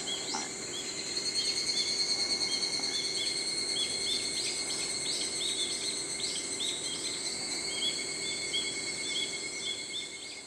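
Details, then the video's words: Higurashi, the evening cicada that calls at dawn and dusk, produces dense runs of high, repeated pulsed notes. Short, clipped chirps come many times a second over a constant shrill whine, with a faint lower sound near the start. "ヒグラシの鳴き声 /Chirping of the Higurashi ( Evening cicada )"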